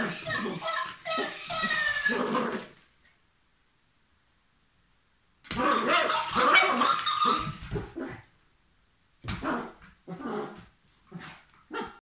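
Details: Papillon dog playing: bursts of harsh, noisy barks and whimpery yelps in a quick jumble, a silent gap of about three seconds, then more barks and short yelps, with human speech mixed in.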